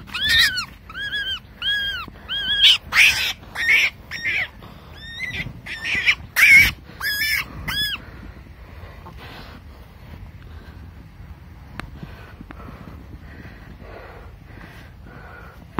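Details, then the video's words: A caught baby wild rabbit screams: a burst of loud, arched, harmonic shrieks repeated rapidly for about eight seconds, then only faint rustling and quiet background for the rest. "screaming baby rabbit wild rabbit cry"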